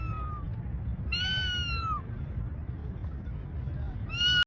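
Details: Domestic cat, billed as a talking cat, giving a drawn-out meow that slides slightly downward over about a second, preceded by a faint shorter call and followed by the start of another, over a low steady rumble.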